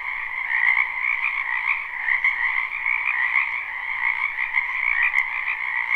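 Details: A spring wetland full of croaking frogs, captured live with no looping: a constant, dense chorus of rapid trills, slightly swelling and fading, with a few brief clicks.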